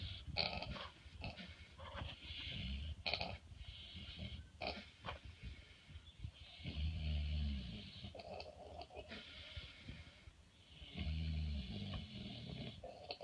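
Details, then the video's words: Pig snoring in a barn in the evening, a run of rough grunting snores with deep drawn-out rumbling breaths around the seventh and eleventh seconds, mixed with wheezy, hissing exhalations. "Hilarious Snoring Pig"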